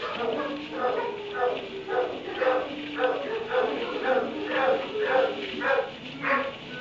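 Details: Barn kennel dog at 3am barking in a fast, fairly regular series, roughly two barks per second, against a noisy background.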